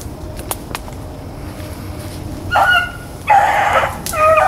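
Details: After a quiet stretch with a couple of faint clicks, hounds running rabbits on April 4, 2013 break into three short bawling bays spaced about a second apart.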